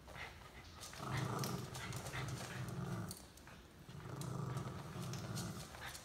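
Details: Welsh Terrier growling as it pulls another dog along for a ride, two strong low rumbling growl bursts each lasting about two seconds, with rustling and knocking sounds around them.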